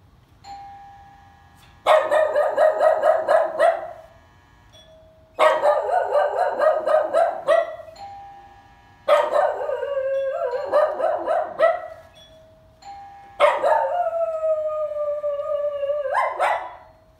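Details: Dog. A dog answers a doorbell with long, wavering howls that bend up and down in pitch. Each howl lasts about two seconds and comes in four bouts, blending with the bell's steady ringing tone.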